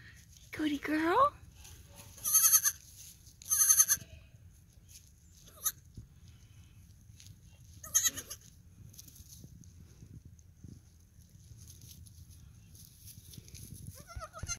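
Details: Three-day-old male fainting goat kid calling a lot, giving a run of short, wavering, nasal bleats, the first rising and falling, followed by several brighter, harsher bleats at intervals of a second or more, then quieter farmyard background.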